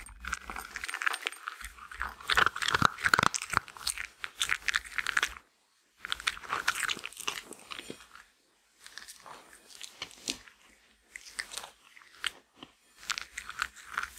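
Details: Female Shetland Sheepdog eating her daily meal of grain-free lamb and kangaroo kibble indoors: dense bursts of sharp crunching and chewing, pausing into near silence, then resuming in shorter crunchy clusters.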